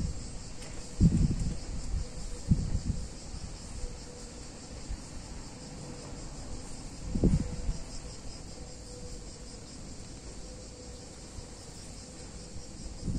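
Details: Cicadas on a hot summer day in a picturesque Italian town: a steady, high, shimmering buzz runs unbroken throughout, with a few dull low thumps near the start and around seven seconds.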